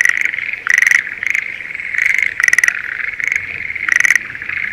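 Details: Breeding-season Schlegel's green tree frog in a spring rice paddy near Sendai, Japan: loud rapid pulsed rattling calls, about six bursts in under five seconds, over a steady background chorus of other frogs.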